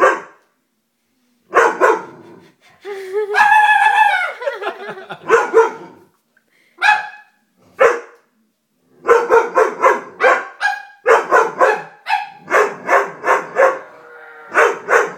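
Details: Dobermann puppy scared of a stuffed toy, barking in irregular bursts of sharp barks with a longer whining, harmonic yelp near the start; short pauses between volleys.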